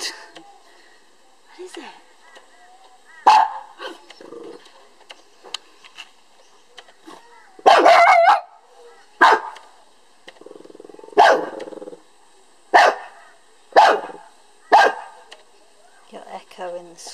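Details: Lhasa Apso dog barking in a dispute with a beetle; scattered sharp barks, a cluster near the middle then several evenly spaced ones, mixed with human speech and soft background chatter.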